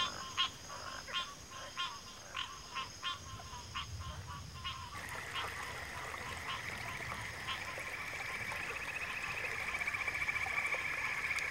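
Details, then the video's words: Frogs calling: for about five seconds, short sharp croaks repeat in a loose rhythm over a faint low rumble. Then a dense, steady trilling chorus takes over, pulsing continuously at a mid-high pitch until the end. "Frog Chorus"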